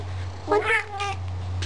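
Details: An older pet cat talking back to its owner sassily: a two-part meow, a short rising note sliding into a longer falling wail lasting about half a second, over a constant low electrical hum.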